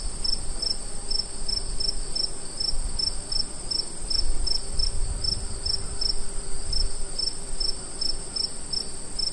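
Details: Crickets chirp in quick, evenly spaced pulses over a high, steady ringing trill at night in the woods at a campsite.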